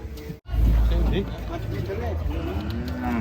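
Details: Belgian Blue cattle, fat and agitated while being loaded onto a truck, gives a deep, low moo lasting about half a second, followed by a steady low rumble of background noise.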